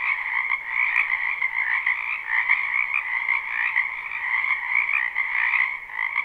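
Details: Many frogs calling together in a wetland in spring, live recording without looping; overlapping rapid trills merge into a constant shimmering chorus that swells and dips slightly.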